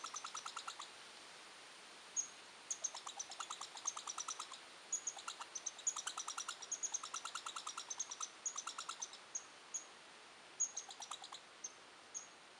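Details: Red squirrel; territorial chatter; defending territory when threatened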